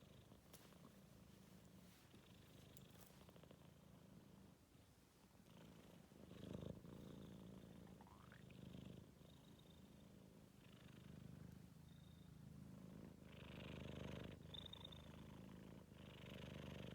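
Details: A tired four-month-old Maine Coon kitten dozing indoors makes a low, throaty snore-like purr that swells and fades in regular rapid pulses, growing louder toward the end, with a few faint high squeaks in the background.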